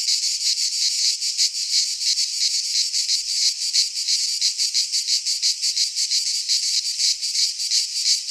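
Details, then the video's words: Cicadas singing in a Greek pine forest in midsummer: a loud, continuous, hissing buzz that throbs in quick pulses, roughly three per second, with no other sounds. "Cicadas singing in midsummer - Nature sounds from the Greek fauna - Sounds of cicadas"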